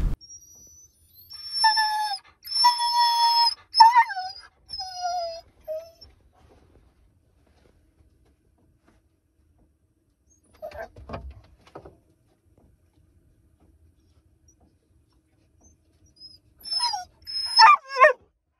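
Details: A male husky howls in a wavering, high-pitched slide downward, then gives sharp rising and falling whimpers. He was often vocal, especially about food or sheep.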